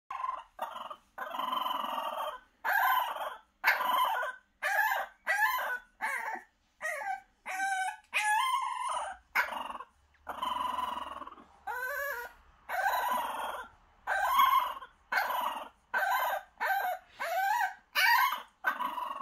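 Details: A French Bulldog puppy howls in a rapid series of short, wavering, whining notes, unhappy at being put in a box in the morning while her pen is cleaned out; French Bulldog.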